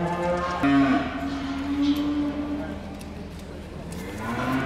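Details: Hereford calves at the Sedgemoor Calf Show give a long, steady, level moo lasting over a second, followed by fainter lowing, with background hall noise.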